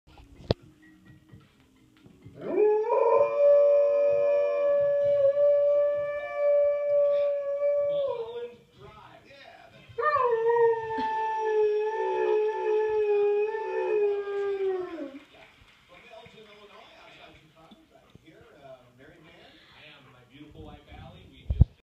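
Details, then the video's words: : a pet dog howling along to the toss-up round of a television game show, the only time it howls. Two long, steady, tonal howls of about six and five seconds, the second sliding gently downward, followed by quieter television sound. "Funny dog howls at Wheel of Fortune"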